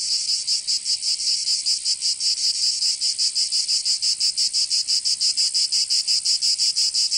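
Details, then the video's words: Cicadas in summer in Provence, France, producing a piercing, throbbing buzz with steady rhythmic pulses about three times a second, a dense chorus and nothing else audible. "Canto Cigarra 🦗 [ Escuchar les cigarras en verano"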